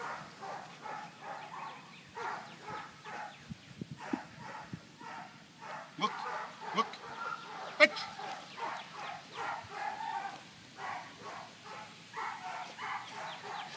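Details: Quick, even panting from Indie, a 23-month-old dog during retrieve work; soft airy bursts pulse steadily throughout, with a few sharp clicks or knocks scattered in.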